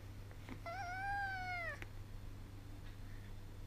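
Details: Ten-week-old Sacred Birman kitten with its mother, indoors; a single clear meow about one second long, slightly rising then falling at the end, over a low background hum and a soft click.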